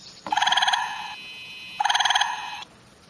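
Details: Gray tree frog call played back in a frog lesson from Highlands Biological Station, Highlands, North Carolina, described as a loud vibration: two rapid pulsing trills, each under a second long, separated by a brief pause.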